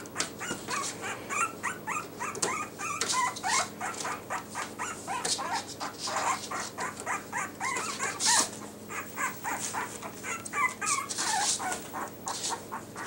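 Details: Several Yorkshire Terrier puppies in new Velcro collars squeak and whine in quick overlapping bursts, short rising-and-falling cries tumbling over each other, with sharp clicks and handling noises mixed in.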